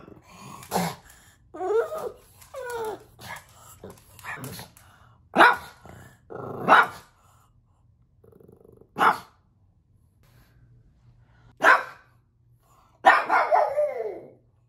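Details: Pet pug Bowser reacting to puppies on the TV: a run of wavering, whiny yelps and grumbles, then single sharp barks separated by pauses, ending in a rising, whining bark-howl.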